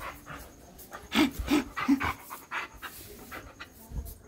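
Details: Pet dog panting in quick bursts, with three short, clipped yips or huffs about a third of a second apart near the middle, then softer rhythmic breaths; faint indoor background.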